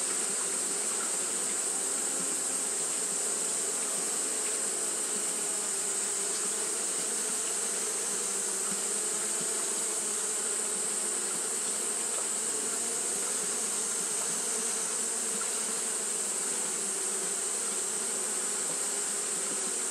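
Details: On a hot day, Japanese honey bees keep fanning without pause; a long, level humming drone holds for twenty seconds beneath a continuous bright hiss.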